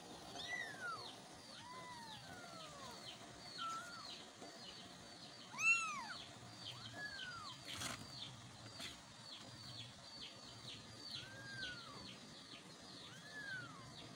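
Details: Kittens calling for their mother: a steady series of high, arched meows, several overlapping voices, each call rising then falling, coming every second or so, with a louder burst near the middle.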